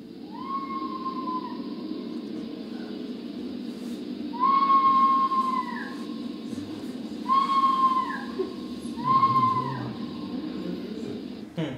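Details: Red fox scream, a sound often heard at night that people mistake for someone yelling for help: four drawn-out, wavering cries with a sharp start and falling tail, each about a second long, over steady background hiss.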